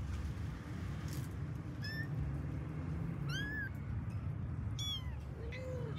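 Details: Pet kittens of a cat family calling while finding their mother: a few thin, high, rising-then-falling meows spaced a second or so apart, over a steady low rumbling hum.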